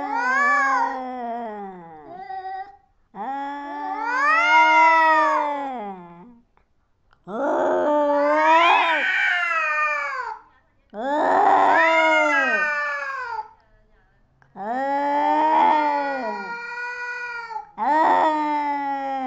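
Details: Cats fighting: long, wailing yowls that bend up and down in pitch, each lasting two to three seconds, separated by short silences, about six outbursts in a row.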